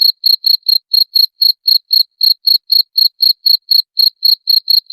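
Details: Shrill cricket chirps meant to scare off rats, close and loud, each short trilled pulse following the last at a steady rhythm near four per second, in silence otherwise.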